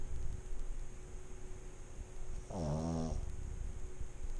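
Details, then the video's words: A sleeping pet pug gives a single rasping snore of under a second in an ASMR recording, with a rich, layered, vibrating tone against a low, steady room hum. "AMSR Pug Snoring"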